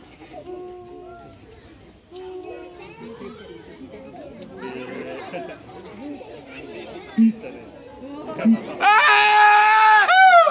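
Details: Siamang at Higashiyama Zoo giving a human-like scream: after low crowd chatter and murmuring, a loud, harmonic, wavering wail bursts out and holds through the final two seconds.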